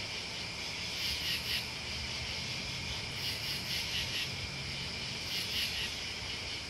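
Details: Crickets and bugs calling together: dense high-pitched trilling that never stops, punctuated by short stronger chirp bursts at irregular intervals of a second or more.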